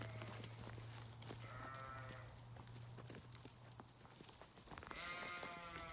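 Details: Sheep giving two separate bleats, a short wavering one early and a stronger, quavering bleat near the end, with a constant low hum and scattered knocks in between.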